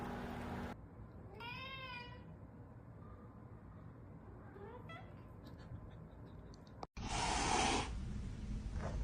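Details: Domestic cat meowing indoors: a drawn-out harmonic meow with a slightly rising then falling pitch, followed by a shorter, fainter meow, over a steady background hum, then a sudden loud burst of broadband noise near the end.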